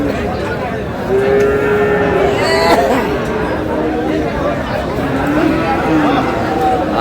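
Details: Sahiwal cattle at a cattle market in Mymensingh, Bangladesh, on 18 March: a drawn-out, tonal low moo rises then levels over about two seconds, and a second shorter bellow follows near the end, over steady crowd chatter and men talking.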